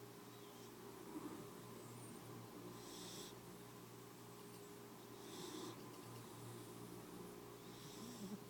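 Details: Domestic cat asleep and dreaming, snoring softly in breathy, hissing bursts roughly every two to three seconds over a steady low hum.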